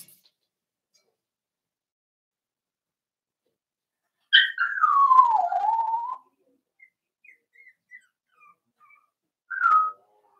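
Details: Four-week-old Cavalier King Charles Spaniel puppy in an indoor pen with Daisy's litter: a drawn-out, two-second whine sliding downward in pitch, faint squeaks, then a short, high whimper.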